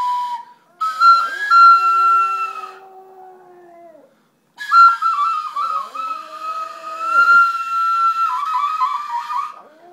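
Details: A pet chihuahua singing along to a flute. Drawn-out, wavering howls with drooping ends come in two long phrases beneath steady, higher flute notes, with a brief silence between phrases.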